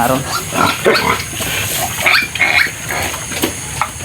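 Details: Newborn piglets from a sow's litter of twelve on a farm, seven of which died, give short, shrill, high-pitched squeals in scattered bursts, the loudest pair near the middle, while a man talks in the background.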